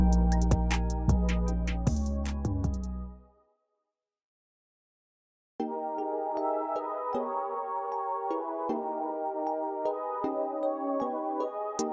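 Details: A synthesized beat plays, cuts to silence for about two seconds, then resumes with a steady electronic melody, with no animal sounds.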